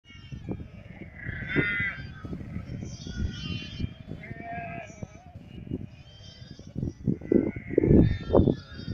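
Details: Sheep on a farm beside the sea on Crete during morning feeding; scattered wavering bleats rise over a busy background of clattering, knocking and low thumps, with louder bursts of activity near the end.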